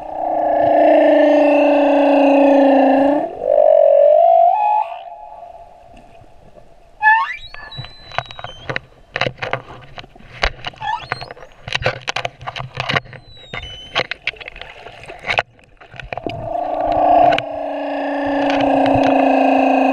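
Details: Male humpback whale song recorded at Moorea: deep, rich harmonic moans that bend upward, a pause filled with dense underwater clicking and crackling, then another long droning moan returns at the end.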